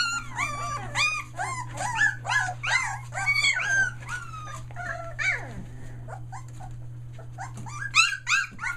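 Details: Aussie puppies just under three weeks old, near Mooresville, North Carolina, yelping in a rapid run of rising-falling whimpers for about six seconds, then sparse faint squeaks and a late burst, with a constant low hum beneath.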